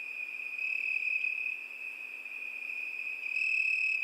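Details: High-pitched cricket song, a seamless ringing trill, steady throughout with a slight brightening toward the end.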